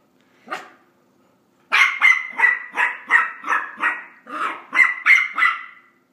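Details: Rosie, a pet dog trying to learn to come down the stairs indoors, gives one short yelp, then after a pause eleven high, whining barks in a fast, steady run of about three per second.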